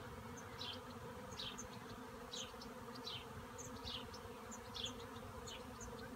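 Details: Honey bee swarm hanging in a cherry tree: a steady, low, droning hum fills the background throughout, while short, high chirps recur roughly every half second to second above it.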